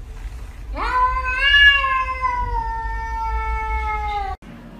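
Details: Kitten giving one long, drawn-out harmonic meow that rises quickly, then holds steady and slowly falls for about three seconds, over a low rumbling background hum.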